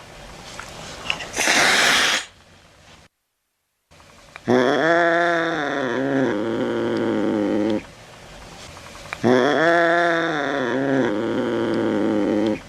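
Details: Domestic cat played to scare rats away, giving two long drawn-out wavering yowls, each several seconds, with rich harmonics, after a short hissing burst and a brief silent gap.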